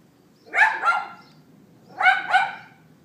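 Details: Neighbour's dog barking on 18 April 2012 at 11:31 AM, recorded by iPhone 4S: two sharp double barks, each pair quickly doubled, about one and a half seconds apart.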